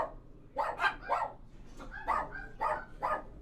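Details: Dogs inside a kennel barking; short, rough barks come in quick clusters, with a pause of about half a second before a second run of barks, heard in an enclosed room.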